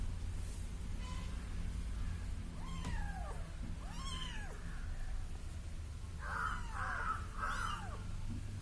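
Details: Little kitten following a person, a few thin descending mews near the middle, then a burst of brighter overlapping cries at the end, over steady low machine-like hum.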